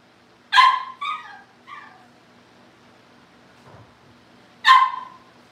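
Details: A Cavalier King Charles Spaniel puppy gives one loud bark trailing into two softer descending yips, then after a pause another sharp bark; a low hum sits underneath.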